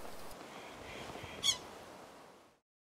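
An American pika gives one short, sharp, high-pitched nasal 'eep' over a soft hiss of background noise.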